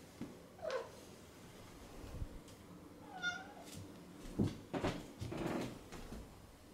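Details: Domestic cat giving two short, soft meows early on, each a brief rising-then-falling cry. Quiet thumps and soft rustling indoors follow in a low-level room.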